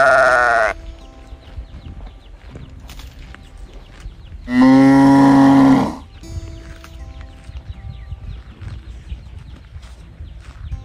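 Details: Calf calling in search of its mother: the tail of one loud bawl at the start, then a second strong, even, harmonic moo of about a second and a half midway, separated by low farmyard background noise.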